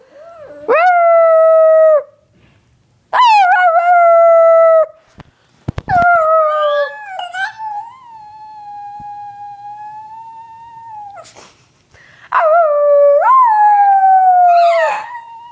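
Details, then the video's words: Pet dog Onyx gives a series of sustained howls, some starting with a rising swoop, one wavering in pitch. Sharp noisy bursts fall between them, and the last howl breaks into a quick upward lift. "Onyx Howls and sneezes all in one video. Funny Dog."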